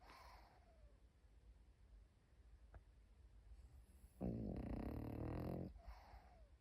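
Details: Pekingese puppy asleep indoors, one loud rasping snore swelling for about a second and a half midway, with soft breathing noise and faint rustles around it.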